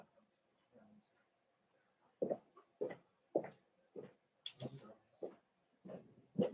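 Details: Cavalier King Charles Spaniel puppies in an indoor pen, meeting several of the kennel's bigger adult dogs during socialization on 13 December 2022. A series of short, loud, broadband barks and yips, roughly two per second, with a human voice audible in the background.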